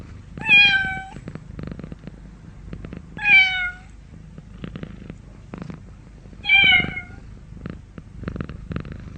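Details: Domestic cat giving three loud, clear meows spaced about three seconds apart, each slightly falling in pitch, with quiet background clicks between calls.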